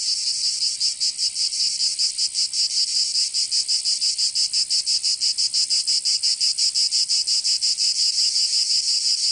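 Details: Cicadas singing in summer in Provence, southern France: a loud, high, rasping buzz pulsing about five to six times per second, steady throughout with no other sounds.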